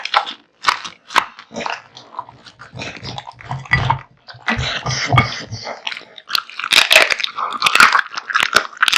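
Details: Kotetsu, a male American Bully born August 2016, devours a big meal of raw meat and bones: sharp crunches and wet bites in quick bursts, with a low rumbling stretch midway and dense cracking chews toward the end.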